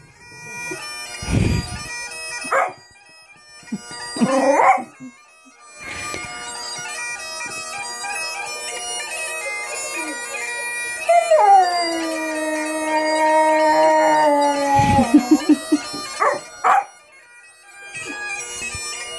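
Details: A dog responding to bagpipes, with a few short sharp bursts early on, then a long steady howl that slides down at its end, heard against loud, continuous bagpipe playing.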